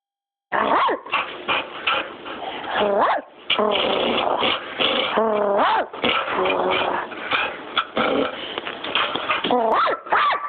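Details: Smokey the dog barks and whines in a steady run of harmonic, rising-and-falling yelps with few pauses, starting after half a second of silence.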